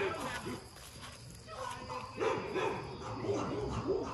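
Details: Rottweilers with block heads at MillCoop Rottweiler Kennels, one giving a run of short, arched, yelping barks about every half second. A man's voice and general kennel noise sit in the background.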